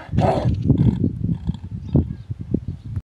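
A donkey gives a harsh, raspy burst followed by a run of deep, rough grunting pulses.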